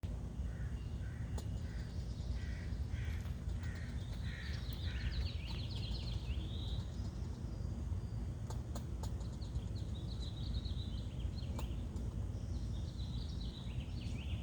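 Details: A squirrel, scared up a tree by a dog shaking its collar, chatters in quick runs of harsh, scratchy notes over a steady low rumble.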